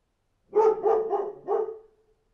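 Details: Dog barking outside in a quick run of four joined, harmonic barks over about one and a half seconds, trailing into a short tonal tail; nothing else audible.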